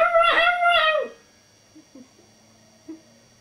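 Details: A Maltese puppy hearing the neighbour's chickens gives one high, wavering howl of about a second that drops at the end, followed by faint soft thumps and near silence.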